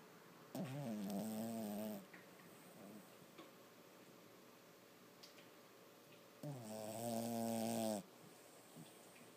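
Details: Sleeping and dreaming, six-month-old Lhasa Apso puppy Toby gives two long, rasping, tonal snores about five seconds apart, each roughly one and a half seconds, with quiet breathing between them.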